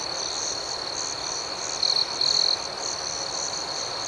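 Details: Nocturnal crickets: an even high ringing background chorus, interrupted near the middle by two short pulsed chirps from a closer insect, the second slightly longer.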